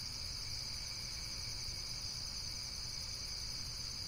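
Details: Short stretch of constant, shrill insect trilling in a high band, finely pulsed and unbroken, set against a low background rumble.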